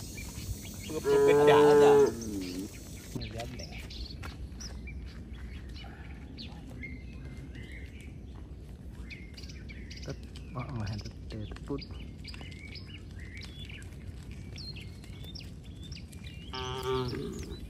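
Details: Cows walking home along a road with their herder in the countryside: a loud moo near the start, a long quieter stretch with faint chirps and scattered noises, then another moo at the end.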